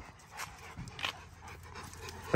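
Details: Rottweiler June on a ranch, training around Highland cows, breathing in soft, airy panting bursts roughly every half second over a low, steady background rumble.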